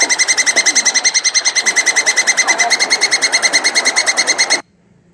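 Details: Mating call of a plantain squirrel, a rapid, steady stream of sharp, high-pitched chattering chips, about three per second, running almost unbroken before stopping abruptly.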